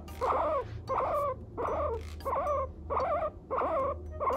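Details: A pet guinea pig 'talks' in the morning, giving a steady run of short, wavering, squealing calls, about one every second and a half.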